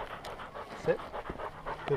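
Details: Welsh Springer Spaniel puppy named Skyline, wearing a GoPro on his collar while hiking at Enchanted Rock near Fredericksburg, Texas; quick, soft, breathy panting bursts over outdoor background noise.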